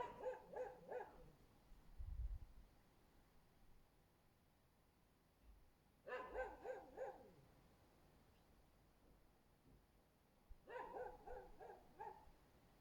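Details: Husky barking beneath a window, recorded on 24 February 2024. Three bursts of rapid barks, each lasting about a second, are spaced several seconds apart, with a low thump between the first two.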